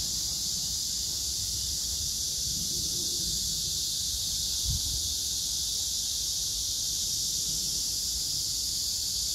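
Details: Cicadas and grass insects droning on 9 August 2024 in Hwarang Park by the Gyeonggi Museum of Art, Choji-dong: a steady, shimmering high-pitched whine that never pauses, plus a single faint thump midway.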